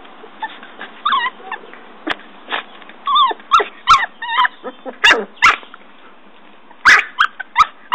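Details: Norfolk Terrier puppy digging a hole by a tree, giving scattered high whines and short yips with rising and falling squeaky tones, irregular bursts through eight seconds.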